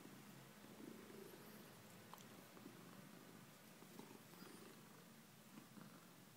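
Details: Domestic cat purring softly and steadily, a low rumbling throb that rises and falls in a continuous rhythm, recorded quietly indoors with faint clicks in the background.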